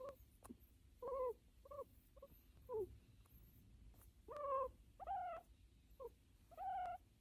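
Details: Tame pet American guinea pig calling while being petted, a habit of this individual: short clear whistled squeaks with ringing overtones, some rising or falling, in irregular bursts about every half to one second, otherwise quiet.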